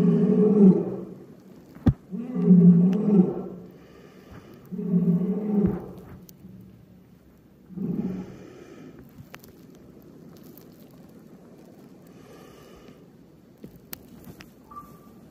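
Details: Captive male Amur tiger, 11 years 8 months old, filmed 23 February 2021, giving deep rumbling roars in four bursts over the first eight seconds, each about a second long, followed by quiet with faint background noise.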